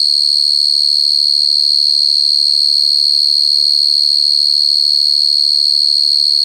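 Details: A cricket's constant piercing high trill runs steadily from start to finish, with only a couple of faint low murmurs in the background.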